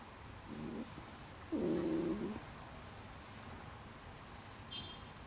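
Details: A stray cat gives a short low call, then a louder rough, drawn-out cry lasting under a second, against steady background hiss.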